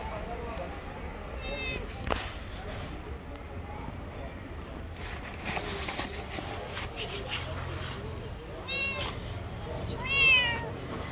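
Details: Gray street cat, a stray, makes brief high meows near the start and two more toward the end, the last one louder and rising, amid human speech and outdoor background noise.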